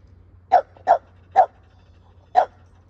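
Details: Keeshond dog, a male household pet showing affection to his owner, lets out four short punchy barks, three in quick succession then one after a pause, against a faint low hum.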